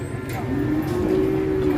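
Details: Cattle in Indonesia, a long sustained moo with steady tonal bands that rise slightly midway and hold to the end; people talk nearby about the animal's frightening horns.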